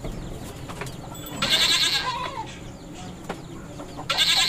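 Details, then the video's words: Mating goats on a farm: two loud, rough, broadband bleats, the first lasting over a second, the second starting just before the end, with faint background clatter between. "Goat Sounds funny | The sound of Mating Goats"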